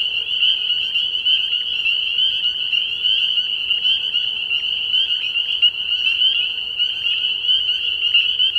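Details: Spring peepers calling in a chorus at a frog pond at night early in the year, a dense wall of high, shrill peeps blending into one continuous ringing band, many callers overlapping without pause.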